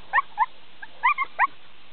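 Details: Border Collie named Jim at a herding session on 14 March 2009, giving four short, sharp harmonic yips about a quarter to half second apart, with a steady low background hum.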